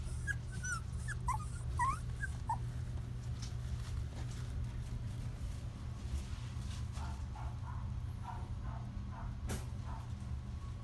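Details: Female Shetland Sheepdog puppy born 22 February 2018, tense at her first photo session indoors. A cluster of brief, squeaky rising whimpers in the first two seconds, then quieter faint whines and soft knocks over a steady low hum.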